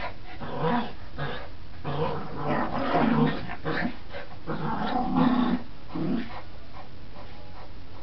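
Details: Border Terrier growling during tug play, rough low growls in uneven bursts mixed with scuffling and tugging noise, rising and falling in loudness over eight seconds.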